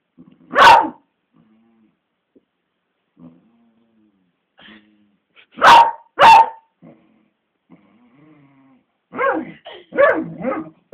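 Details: Pet beagle going mad at a grumpy twelve-year-old black labrador that refuses to play, recorded on a phone; loud single barks, then a quick double bark, then a run of whining yelps, with low growls between them.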